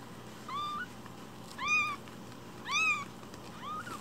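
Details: Rescued kitten just one week old mews softly, four high arched cries roughly one per second, the middle two strongest, against a low steady background hum.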